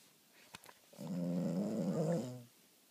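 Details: A female Boston Terrier, fast asleep with something in her mouth, gives a deep, rattling snore, a low wavering rumble lasting about a second and a half. Two faint clicks come just before it in an otherwise quiet room.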